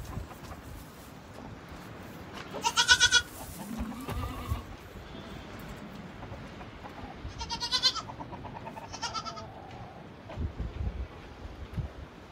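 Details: Boer goats in clean, hay-bedded kidding pens on a stud farm, where does are kept with their kids. Three loud, wavering, nasal bleats spread across the stretch, plus a few softer calls between them, over low barn rustling.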